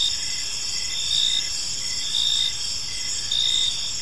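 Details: Park crickets at evening giving a steady high ringing drone, with three slightly louder pulsed bursts spaced about a second apart.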